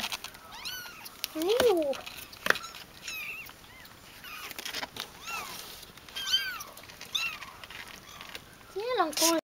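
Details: Ragdoll kittens, 17 days old, giving thin high rising-falling mews, several spaced through the stretch with a louder pair near the start and end, with a person talking softly over them indoors.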